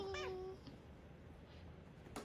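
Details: Workshop cat, a tabby Korean shorthair sharing the space with a newly arrived stray kitten, gives a short half-second meow with a steady tone, followed by near silence and a soft click at the end.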